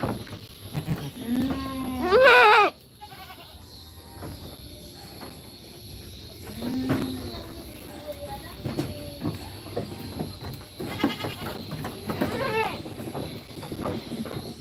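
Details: Cute goat kids in a pen during feeding and play; one loud, shaky bleat rises early, followed by fainter bleats and chatter of people, with rustling in the background.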